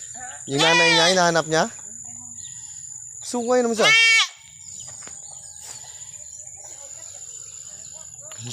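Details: Goat in Mindanao, Philippines, giving two loud, wavering, nasal bleats: a long one lasting about a second, then a shorter one a couple of seconds later, over a steady background hiss.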